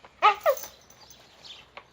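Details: Oscar, a red-nose pit bull, reunited with chocolate red-nose Müdür for mating, gives two loud, clear yelping whines a quarter second apart, each sliding downward with strong harmonics, followed by near silence and a faint click.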